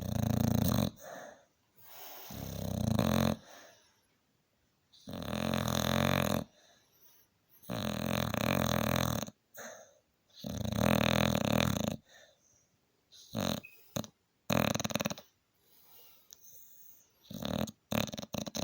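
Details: A tired male Staffordshire Bull Terrier, worn out after a hard day, snores loudly in deep, rumbling bursts with quiet pauses between breaths.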